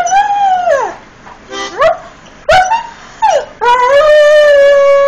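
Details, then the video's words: Irish Setter named Frebie singing in long, wavering howls. Each howl slides down in pitch, then sweeps back up, with short yips between. The last howl is held steady and strong to the end. "Irish Setter Sings"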